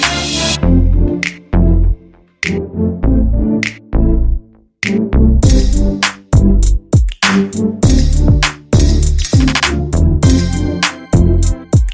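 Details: Loud electronic hip-hop music plays, with a heavy drum-machine beat, deep bass thumps and synthesized stabs, with short breaks and no animal sounds.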